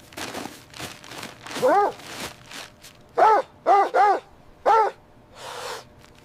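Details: Winter scene of puppies and their mother dog playing in fresh white snow: a quick series of short, high, bouncy yips, some doubled, over soft rustling and footstep-like noises.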